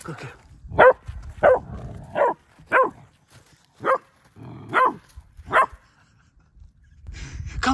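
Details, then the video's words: Frightened female German Shepherd puppy confronting a fake deer, barking repeatedly, about seven sharp barks spaced roughly every second, with a woman coaxing the puppy in the background. "German Shepherd Puppy Scared of Fake Deer"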